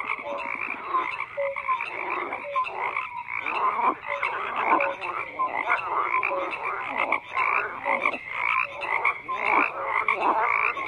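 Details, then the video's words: A thick chorus of croaking frogs, many overlapping raspy pulses and brief whistled notes, rising and falling in waves over about eleven seconds, no other sounds standing out. "FROGS CROAKING"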